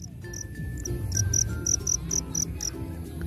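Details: A black field cricket sings at night from its burrow in grassy grounds, giving short, bright chirps repeated several times a second, with low rumbling background noise.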